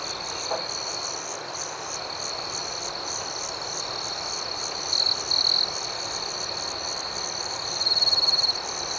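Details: Nighttime cricket chorus: continuous shrill ringing with rhythmic chirps pulsing several times a second, a faint click near the start and a few short louder high trills toward the end.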